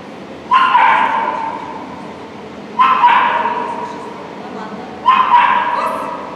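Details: Border Collie at an Obedience-1 competition, St. Petersburg Cup, 11 February 2018: three loud, harsh barks spaced about two and a half seconds apart, each fading slowly in an echoing hall with background murmur.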